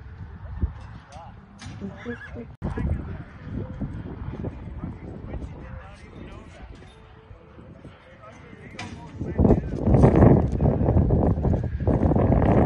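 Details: Stock horse at a performance horse sale in Newcastle, Wyoming; a loud, quavering whinny swells in the final seconds, over hoof clip-clops and a man talking throughout.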